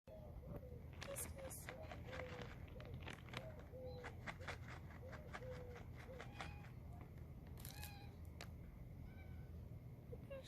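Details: Hungry stray tabby street cat begging for food, giving a rapid run of short, arched meows one after another over low background rumble and scattered sharp clicks.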